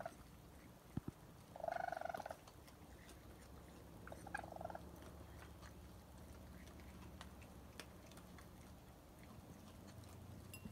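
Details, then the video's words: Around 1 am, a mother raccoon and her kits eating food put out for a stray cat near a porch give a couple of short, trilling chirps over a quiet, low hum. "Raccoons Chirping"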